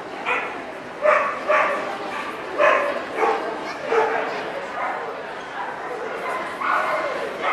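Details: Welsh Corgis, Cardigan and Pembroke, at a dog show in Ostrava on 14 April 2012; a series of sharp barks about every half second to second, amid crowd chatter and hall noise.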